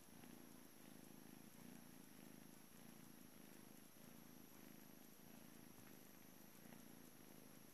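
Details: Steady morning purring from Juno, a blue British Shorthair boy at the Calmcat cattery, leaving for a new home today; continuous low throbbing rumble with regular breath-paced pulses, quiet room background.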